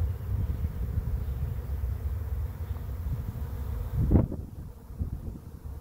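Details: Bees of an arriving swarm piling up at the entrance of a swarm trap; a low, rough buzzing hum with one bee zooming close past around four seconds, rising then fading, followed by a quieter, patchier drone.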